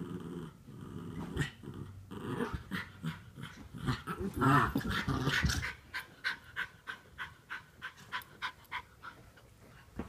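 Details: Norfolk Terriers wrestling to keep another dog under control; low rasping growls and scuffles build to a loud snarl midway, then give way to steady rhythmic panting, about three breaths a second.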